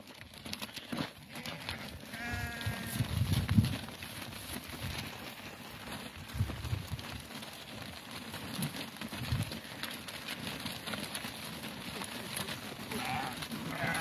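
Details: Meatmaster sheep in the Karoo, from a flock at Otjiwarongo. A single wavering, nasal bleat comes early on, against steady rumbling wind and handling noise with faint scattered crackles.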